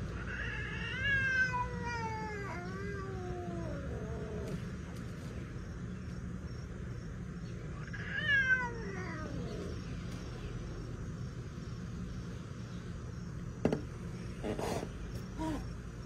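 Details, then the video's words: Domestic cat getting hissy when a neighbour's cat returns: two drawn-out, wavering yowls that slide downward in pitch, the first lasting about three seconds, the second shorter around eight seconds in, then quiet with a few soft knocks and rustles. "Cats Hiss And Huff At Each Other"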